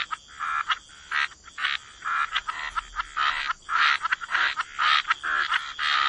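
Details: Waterside frogs in chorus: harsh, grating croaks in quick uneven bursts, roughly two per second, several frogs overlapping, with a faint high hum behind them.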